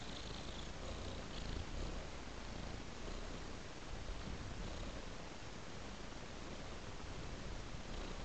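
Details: Cat lying on a soft blanket, purring in a steady, low, continuous rumble that holds evenly throughout with no breaks and no other clear sounds.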